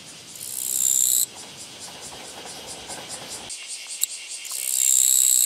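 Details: Japanese katydid encountered on a walking path, 24 August 2017, with a harsh, dry buzzing burst at the start and another at the end, separated by quieter, rapid insect ticking.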